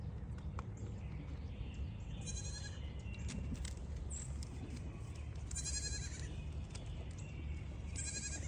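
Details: Registered Pygmy goats on a Knoxville, Tennessee farm bleat in short, quavering, high cries at a water break, several spaced calls rising above constant splashing water noise.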